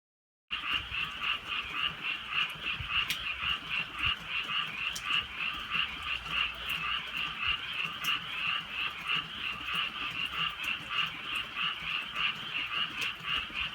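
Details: Frogs croaking at night in the countryside during drizzling rain: a dense chorus of pulsing, mid-high croaks, about three per second, with scattered sharp clicks.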